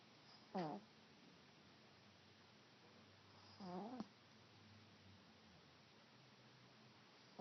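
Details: A sleeping pet cat snores faintly: two short, raspy, low breaths about three seconds apart in a quiet room.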